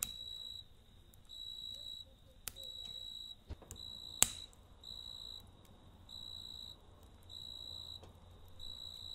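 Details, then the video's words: Night crickets sing in regular high-pitched trilled bursts, each roughly a second long with brief pauses between, over a quiet campfire with a few sharp pops. "Kamp Ateşi ve Cırcır Böceği Eşliğinde Dinlendirici Gece Sesi"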